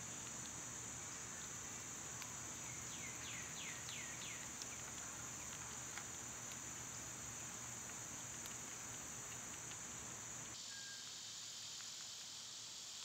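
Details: A summer cicada drone runs continuously at high pitch, joined early by a rapid series of falling bird chirps; near the end the buzz suddenly broadens and grows lower and fuller.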